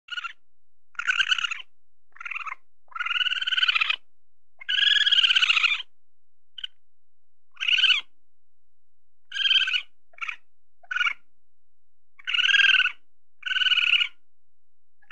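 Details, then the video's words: A weasel searching for food gives harsh, nasal squealing bursts in irregular bouts, each lasting under a second. "SUARA MUSANG SEDANG MENCARI MAKAN (WEASEL SOUND)"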